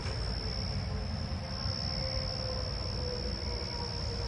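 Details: A loud Carolina ground cricket gives a steady, high, buzzy trill over a deep rumble of traffic, in a backyard-area patch with ground cover where many more of them sing, on a 7/25/26 night.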